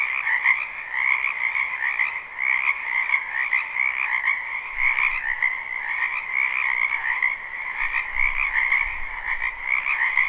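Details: Crowded frog chorus from a wetland in spring, recorded live: ceaseless overlapping croaking trills in two pitch bands, steady throughout, with a few sharp clicks and brief low thumps near the end.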